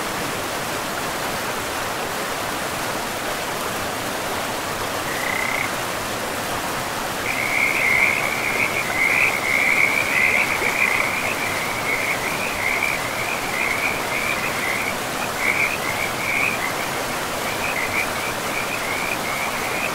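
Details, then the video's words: Frogs by a river deep in a pristine forest, a rapid pulsed trilling croak starting after five seconds and running almost continuously, about two pulses a second, over the steady rush of flowing water. "River and Frogs sleep sounds"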